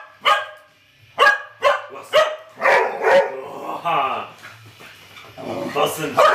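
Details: Dog barking during a Terry vs. Trixie standoff: a series of sharp, harmonic barks about once or twice a second, some doubled, growing rougher and more drawn out midway, with a low hum and faint human voices nearby.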